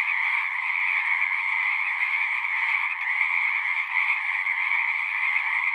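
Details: Pond frogs in a horse pasture, caught on a Zoom recorder, form a thick continuous chorus of high, buzzy trills that overlap without pause, with only a brief slight dip near the middle.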